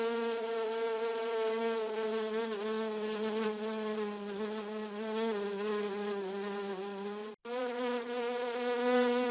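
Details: Bee in a garden producing a continuous harmonic buzz that wavers a little in pitch. Near the end the sound cuts out for a brief instant, then resumes. No other sounds.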